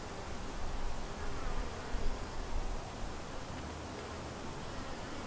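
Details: Low, rumbling hum of many honey bees at a white hive, a healthy split from another colony, with gentle swells in loudness during the first three seconds.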